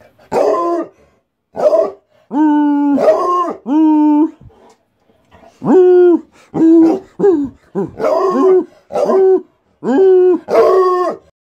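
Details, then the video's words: A Black and Tan Coonhound, which reliably howls when walks or treats are imminent, bays in drawn-out, mournful bursts, each held a half-second to a second. "Black and Tan Coonhound Baying/Howling (Vernon)"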